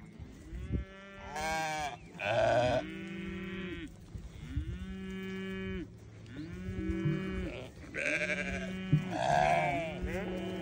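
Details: Newborn lambs bleating over and over, deep steady bleats overlapping with higher, quavering cries in quick succession, several voices calling at once.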